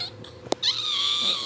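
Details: Newborn Shih Tzu puppy letting out a sustained, thin, high whine that holds a nearly level pitch for about a second, preceded by a sharp click.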